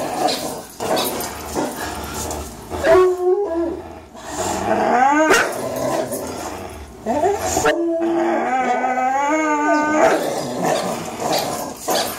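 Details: During a tug-of-war match between Greyhound Fox and German Shorthaired Pointer Miles, both aged three, noisy growling breaks into wavering, high whining howls that rise and fall, with short pauses between bouts.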